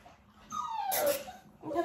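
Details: Nearly six-week-old Dalmatian puppy whining while being clicker trained alongside mother Arya: a clear, falling whine drops steadily in pitch, followed by a brief rough burst and a second short whimper.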